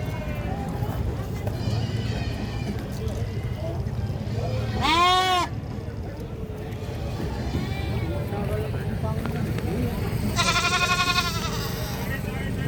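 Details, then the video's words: Goat screaming: a loud, harmonic, wavering cry near five seconds and a longer rippling scream around ten to eleven seconds, over steady engine rumble and human voices. "GOAT SCREAMING"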